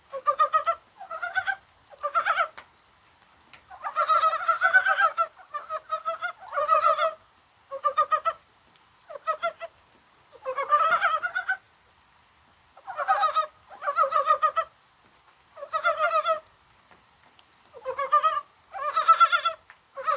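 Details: Mountain frogs croaking in the rain on 21 January, an unusually mild, spring-like day: bursts of fast, throaty, chuckling pulses come every second or so, some short and some drawn out, overlapping like several callers.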